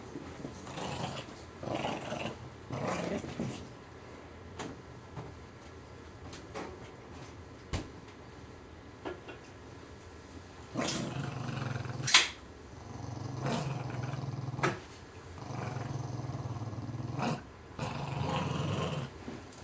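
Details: Two pet puggles, Scarlett and Spike, play tug of war indoors with a filthy stuffing-less squirrel toy, Spike dragging Scarlett around; low rumbling growls come in bursts with pauses, mixed with thumps and scuffling.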